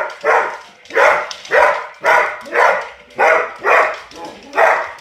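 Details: A Springer spaniel barks at a robot toy as if attacking it, giving a regular series of seven harsh, full barks spaced about two per second.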